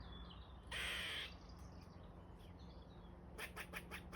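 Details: Squirrel calling: a loud harsh screech lasting about half a second, then a quiet stretch and a closing run of short sharp barking notes in quick succession.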